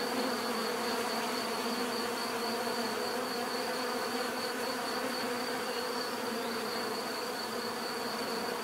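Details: Dense swarm-like hum of bees, unbroken and level across the whole stretch, stacked buzzing tones over a faint constant high whine.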